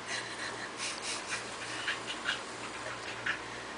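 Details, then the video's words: Corgis Toki and Toby mid tug-of-war: hard panting from Toki and Toby's snorts, a dense run of rough, airy breaths about once a second, with faint high squeaky notes among them. "Toki makes wierd noises"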